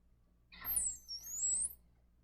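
A dolphin gives a single high, pure whistle that dips gently before sweeping upward at the end.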